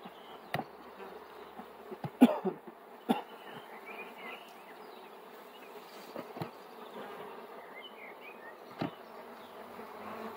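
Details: Bees humming in a steady, low, droning buzz that holds throughout, broken by a few sharp clicks and knocks, with faint, scattered chirps higher up.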